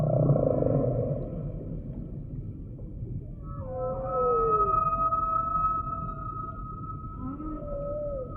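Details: Humpback whale song: a low rumbling moan gives way to long, steady high whistled tones layered over one another, with a falling swoop near the middle and short rising and falling slurs toward the end.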